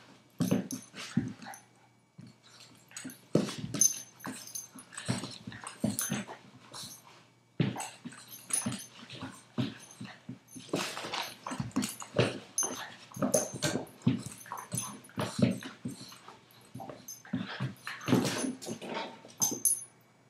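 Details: Two pet dogs playing with each other, Brando, a 5-month-old Boston terrier, and Woori, a 2-year-old golden retriever: dense bursts of rough growls, grunts and short yips come in quick clusters throughout, with brief pauses between scuffling rounds.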